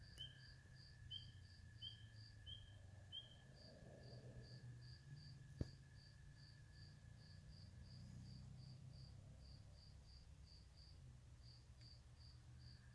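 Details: Spring peeper at a swamp house, giving five short, high, upslurred peeps about every 0.7 seconds in the first few seconds, over a steady pulsing insect-like trill, a constant mid-pitched hum and low rumbling background noise.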